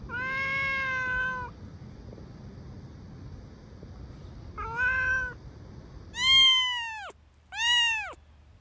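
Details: Cat meowing in a bamboo tree while looking for food and drink: a long level meow, a shorter one, then two loud arching high-pitched meows in quick succession near the end, over low background hum.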